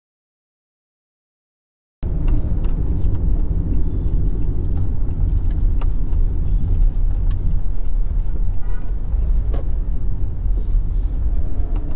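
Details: Two seconds of silence, then a steady roar of car and road noise with faint clicks and bumps; no animal sounds.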